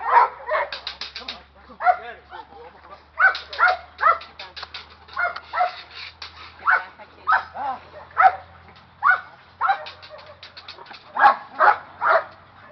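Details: Young Presa Canario being agitated during training, giving deep, harsh barks singly and in pairs, spaced about a second apart, with short quiet gaps between bursts.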